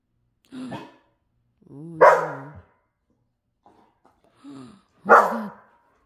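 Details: Pet dogs on a quiet night, heard as a short whine, then a loud harsh bark with a tonal edge, another whine and a second loud bark, with silence between the sounds.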